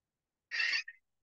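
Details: Pygmy shrew (Sorex minutus) gives one harsh, buzzy, parrot-like screech of about a third of a second, then a brief thin squeak, surprisingly loud for so small a mammal; detector recording used for mammal distribution work in Leicestershire & Rutland.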